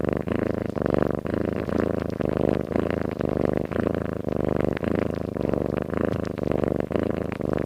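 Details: Soundly sleeping cat gives regular rattling snores, each breath a buzzy pulse repeating about twice a second, backed by a steady low drone.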